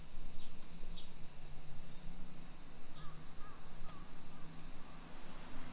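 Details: Shrill, continuous buzzing of summer cicadas in a modern hillside neighborhood of Nisshin, Aichi Prefecture, Japan, 1 PM on 28 July 2021, with a few short bird calls around the third and fourth seconds and a faint low hum.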